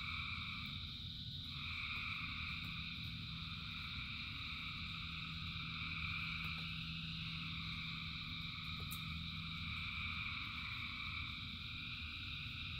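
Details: Rainy-night frog chorus of countless callers, with steady high-pitched trilling bands that swell briefly, a faint low hum, and constant rain noise beneath.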